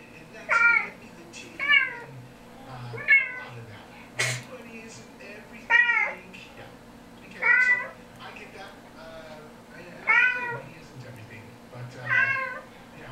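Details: Kitten meows from a recording played to household cats indoors: eight or so clear, high, harmonic mews, each bending up then down, repeated about every one and a half seconds, with a single sharp click in between.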